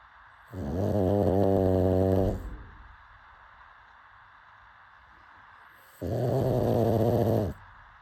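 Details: Deep, vibrating snores from a sleeping pug, two drawn-out rattling breaths of about two seconds each with a hushed gap of several seconds between them.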